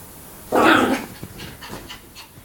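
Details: A Yorkshire Terrier playing and frolicking gives one rough, breathy bark of about half a second, then soft huffing breaths and faint panting puffs.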